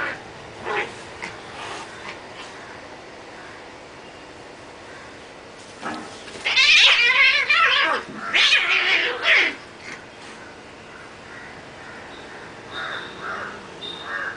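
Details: Cats in a serious fight: scattered soft yowls, then a loud burst of harsh, wavering caterwauling with quivering harmonics, a second screaming outburst, and quieter growling yowls trailing off.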